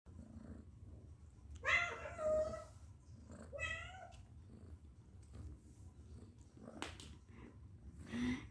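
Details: Domestic cat meowing in a compilation of cute pet cats: two drawn-out harmonic meows near the two-second and four-second marks, later faint calls and clicks over low background rumble, with a brief short mew at the end.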